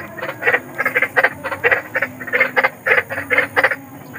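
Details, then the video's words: Large frog calling in the wild at night, a harsh rhythmic croak of short broadband pulses given about three times a second in loose pairs, steady throughout against a faint hum. "SUARA KODOK || KODOK BESAR || SUARA KODOK SERAM"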